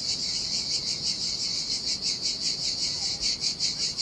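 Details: Heat-loving cicadas by the Sardinia sea on an empty beach: a dense, high-pitched buzz with softer, uneven swells rising and falling under a constant shrill hum.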